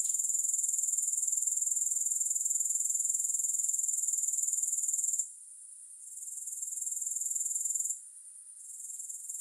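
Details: A steady, piercing high buzz from grasshoppers, made of fast regular pulses. It cuts out abruptly twice and returns slightly softer each time.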